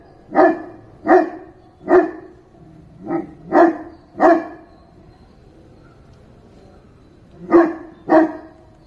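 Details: {'caption': 'Dog barking loudly and deeply, eight single barks spread unevenly over about eight seconds, with a longer pause before the last two.'}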